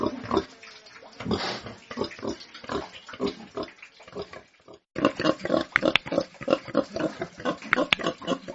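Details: Farm pigs grunting and snuffling in short rough bursts, a quieter stretch followed by a brief pause and then louder, denser grunts with a few sharp clicks near the end.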